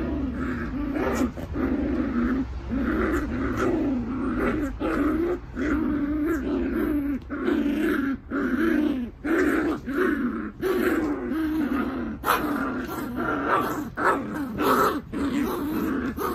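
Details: Welsh Terrier puppies, 45 days old, growl and grumble continuously in overlapping bursts, wavering rough tones broken by short pauses.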